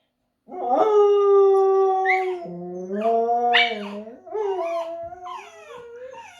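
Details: Pomsky-type husky cross howling indoors, a young seven-month-old dog trying to copy: long, sustained tonal howls that dip and rise in pitch, layered voices overlapping, ending in wavering, quavering notes; a person praises the dog afterward.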